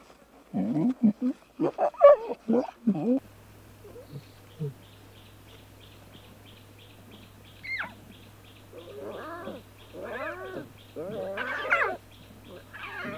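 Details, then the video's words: Playful young lion cubs frolicking and bonding in the wild: a burst of short rough mews and grunts, then a quieter stretch of higher wavering, harmonic mewing calls over a steady low hum. "Adorable Lion Cubs at Play"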